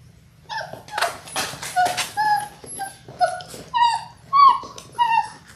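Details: Six-week-old Labrador Retriever puppies from a litter of six born January 18, 2022, on a live puppy cam, February 28: a run of about eight high, clear whimpering yips, each slightly rising then falling, coming roughly every half second after a few rough, noisy squeals.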